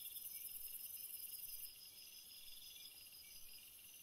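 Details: Crickets at night: a steady high shrill buzz fades out after about a second and a half, leaving layered continuous high-pitched chirring bands beneath.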